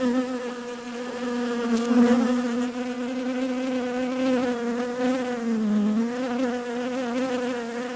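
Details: Bees buzzing in a sustained, reedy hum. The pitch bends noticeably, sagging once midway and rising again, with slight swells in loudness.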